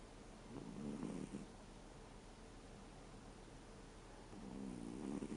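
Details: Sleeping American Shorthair named Reo, aged 13, gives gravelly, rasping snores, one near the start and another after a pause of about three and a half seconds, over a faint steady background hiss.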